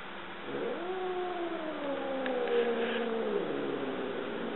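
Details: A two-year-old Siamese cat, indoors with a dog while stalking, gives one long drawn-out yowl lasting about three seconds. The yowl is steady, then dips slightly at the end, and a person calls softly afterward.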